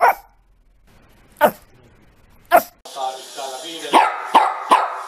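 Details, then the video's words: Dog barking in sharp, short single barks spaced a second or more apart, then three quicker barks near the end over a hissing, noisy background. "Los mejores LADRIDOS DE PERROS 🐶 Perros LADRANDO"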